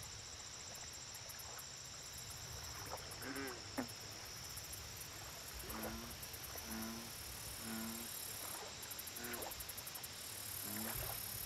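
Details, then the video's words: American bullfrog at a lake, giving low, resonant, harmonic croaks in short groups of two or three, scattered through the second half, over a steady high insect hum and faint ticking chirps. "Bullfrog Lake Audio Only - Nature Sounds"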